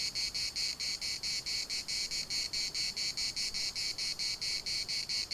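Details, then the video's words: Cicadas singing in the municipal park of Larnaca: a harsh, high buzzing pulsed in rapid beats, about four per second, steady and loud throughout, with no other clear sounds. "CICADAS at the municipal Park Larnaca"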